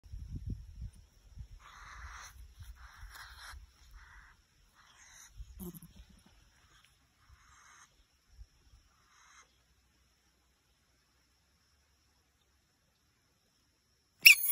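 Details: An angry American mink (Neovison vison) gives harsh, breathy hisses in short bursts as an aggressive threat, ending with a sudden sharp screech.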